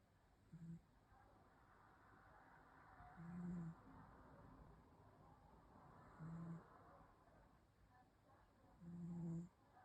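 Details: Cat asleep and snoring, four steady low droning snores about half a second long, evenly spaced near three seconds apart, over a soft breathy background.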